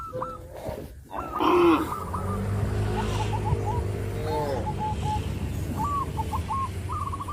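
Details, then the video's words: Tame village cattle in a herd, calling to their companions: a short higher cry, then a long, low, steady moo of about two and a half seconds that bends at the end. Small birds chirp repeatedly in the background. "suara kerumunan sapi lucu memanggil kawannya"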